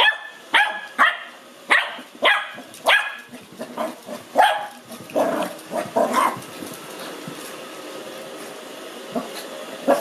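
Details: A 5-month-old male Lhasa Apso puppy, excited, afraid and curious on first meeting a robot vacuum, gives a run of sharp, high barks, then falls mostly quiet.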